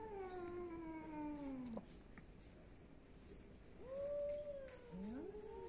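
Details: Athens, Greece cat meowing: a long, slowly descending meow, a quiet gap, then a rising-and-falling meow followed by an upward-sliding call over soft background noise.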